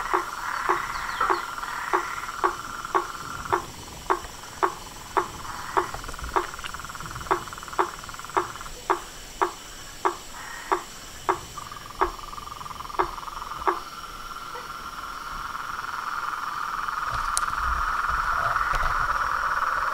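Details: At nightfall by a pond before a veranda, toads, frogs and tree frogs call: a steady series of sharp, clicking croaks roughly every half second for fourteen seconds, then fading into a dense, continuous buzzing chorus.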